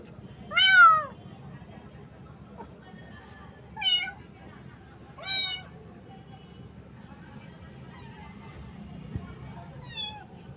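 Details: Little cat, soaked by rain and shivering with cold, calling a loud meow at the start, then several softer, shorter meows spaced a few seconds apart against quiet low background hum.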